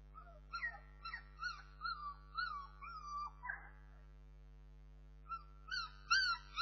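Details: Bernese Mountain Dog puppies producing drawn-out, wavering whines that bend up and down in pitch, mixed with shorter squeaky yips, then a pause before a final burst of higher squeals; low hum in the background.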